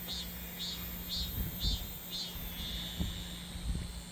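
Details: Summer cicada song: a steady high hiss with rhythmic pulsing bursts about twice a second, over a constant low electrical hum and soft low rumbles.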